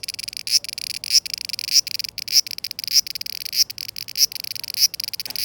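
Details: Summer cicada singing in 2020, a high buzzing trill given as rhythmic swelling phrases, roughly one and a half per second, each ending in a sharp accented pulse.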